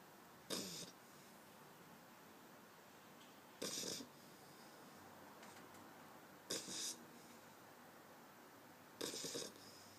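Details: Eight-week-old pit bull puppy asleep on a person's arm, snoring: four short, breathy, broadband snorts spaced about every three seconds, with quiet stretches between them.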